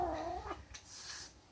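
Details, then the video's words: Kitten defending her food ends a short moaning growl with a brief breathy hiss, the whole outburst lasting about a second and a half. "Kitten makes strange noise"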